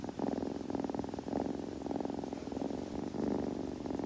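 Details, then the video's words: Grooming kitten gives a continuous throaty purr, pulses rolling steadily with a few brief breaks, heard up close against a quiet background. "子猫のASMR / グルグル音・毛づくろいの音など"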